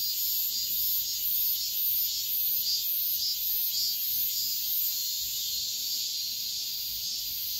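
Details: Dawn cicadas in midsummer produce a constant shrill, buzzy drone with steady pulsing swells, close to two per second, and no other distinct sounds.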